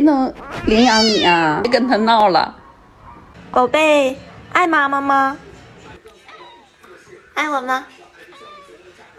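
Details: Pet cat giving several strained, wavering meows in quick bursts, then quieter shorter mews, with faint background noise between calls.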